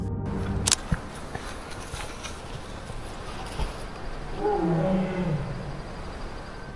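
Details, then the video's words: At night near a camp, two tigers call to each other, a low, moaning call rising briefly out of a steady night hiss, heard from inside a tent. "Hear that? That's tigers calling to each other."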